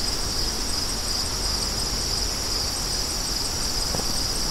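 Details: Crickets in steady chorus, a continuous high shimmering trill with a second fainter band above it, never pausing, over a low rumble of wind.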